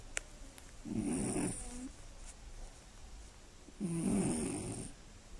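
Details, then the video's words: Loud night-time snoring from a sleeping Scottish Fold cat: two gravelly, rattling snores about three seconds apart, each with a soft hiss above, quiet breathing between. "猫のいびきが酷過ぎる！眠れない一夜 爆音＆騒音！"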